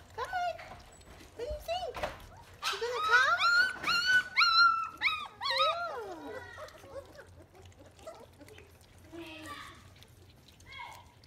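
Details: Three-week-old German Shepherd puppies from one litter, just starting to walk and open their eyes, give high wavering whimpers and short rising howls, several overlapping, with a woman talking to them indoors.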